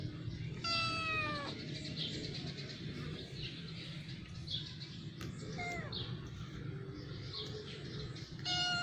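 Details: A cat on the stairs meows three times across several seconds: a clear downward-sliding meow early, a shorter fainter one midway, and another starting right at the end, over a constant low background rumble.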